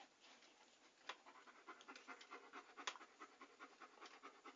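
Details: A panting dog heard up close for relaxation ASMR. Fast, even, airy gasps pulse continuously, with one or two louder huffs.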